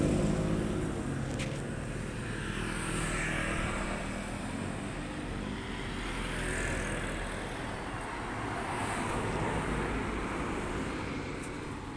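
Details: Steady outdoor traffic rumble from passing cars and motorbikes, with a low engine drone throughout and no animal calls.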